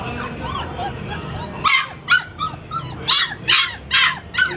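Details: Young Labrador Retriever puppy whimpering softly with small rising whines, then breaking into several quick shrill yips; a constant high-pitched hum sits in the background.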